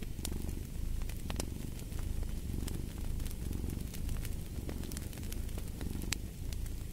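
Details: Low, rolling purr of a cat, pulsing in slow breath-paced waves, with frequent snapping crackles from a burning fireplace layered over it.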